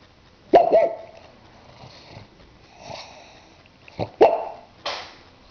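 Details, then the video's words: Pug dog snoring and barking before falling asleep; short broadband huffs and barks at about 0.5, 4.2 and 4.8 seconds with quieter snuffling breaths between. "MY FUNNY PUG BRUNO SNORING"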